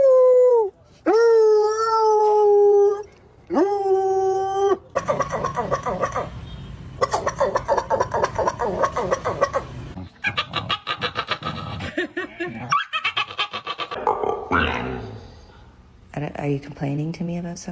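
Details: Dog making strange complaining noises: two long, steady, tonal whines slurring slightly upward, then a run of rapid, stuttering grumbles and yips with brief breaks, ending in further short whining calls.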